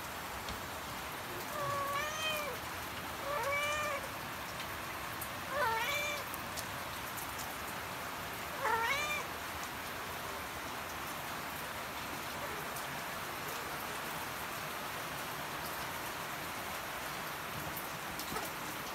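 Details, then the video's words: Mother cat calling her kittens so they will follow her: four short, clear meows, each bending up then down, spaced about every two to three seconds in the first ten seconds, followed by quiet, over a steady rain-like hiss. "Mama Cat Calling Her Kittens - She Wants The Kittens To Follow"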